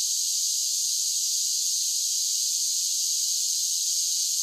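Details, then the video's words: A chorus of cicadas in summer: a constant, sizzling, high-pitched drone without pauses or changes in rhythm. "Cicada Sounds"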